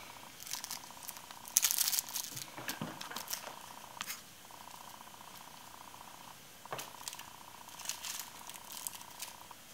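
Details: Babar, a 16-week-old male Bengal kitten, purring indoors on his very first day in his new home. A steady, faintly pulsing hum runs with short breaks, interrupted by crinkling and rustling bursts.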